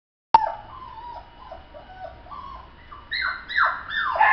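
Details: Toy poodle whimpering and yipping: a sharp click, then a run of short, high whines that slide downward, growing louder and higher near the end.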